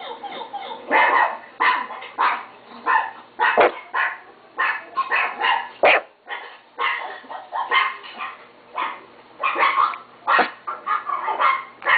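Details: Chihuahua kept as a pet, yapping continuously in quick high-pitched barks, about two per second, each short and harsh, with brief breaks between volleys.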